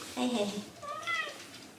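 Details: Shiba Inu Hachi, a talkative dog, voices a bedtime complaint after a long wait: a short pair of soft, nasal whines, the second rising and then sliding down, fairly quiet.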